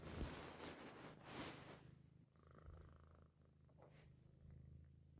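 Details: A Persian cat purring, a low steady rumble after a burst of rustling handling noise, with newborn Persian kittens less than an hour old.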